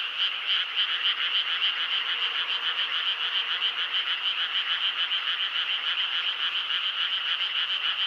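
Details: Frogs call together in a dense, steady chorus of fast, pulsing, high-pitched trills that is keeping people from sleeping.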